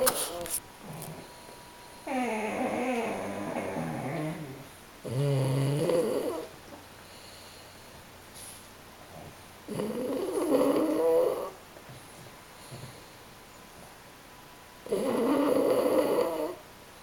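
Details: French Bulldog Masaru and Pug Bob napping indoors; rasping, throaty snores come in four long bursts of roughly one and a half to two and a half seconds, with quiet breathing gaps between them.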